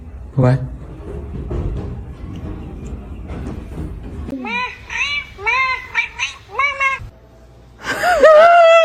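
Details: Kitten or cat meowing in a quick run of short, rising-then-falling mews, ending in one longer, louder meow, after several seconds of human talking in a small room.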